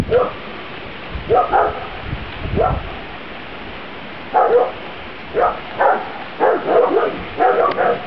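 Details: Young Grand Basset Griffon Vendéen puppies, a B-litter, outdoors for the first time, 23 June 2009. Short, high puppy barks sound singly, then in a quicker run of about eight over the last four seconds.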